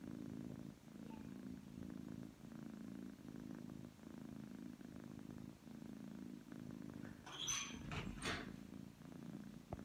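A Persian cat purrs in a deep, continuous rumble that swells and dips with each breath in and out. The purr signals a happy, relaxed cat; a couple of brief rustles or clicks sound near the end.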